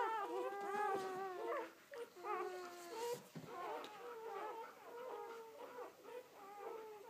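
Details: Seven Belgian Malinois puppies, five males and two females, aged one day after their birth on 29 October 2014, wailing in drawn-out, wavering cries, with some notes bending up and down and pups calling over one another.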